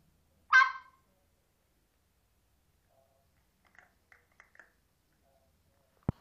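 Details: Chihuahua trained to bark quietly when asked, indoors: a single short soft bark early on, then near silence with a few faint clicks and a sharp knock at the end.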